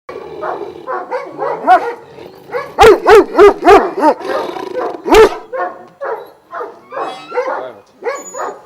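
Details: Šarplaninac sheepdogs of Vujanski lineage, twelve kept at a kennel in Jasika near Kruševac, Serbia, barking together: overlapping deep barks, then a burst of four loud rapid barks and one more sharp bark, others barking steadily behind.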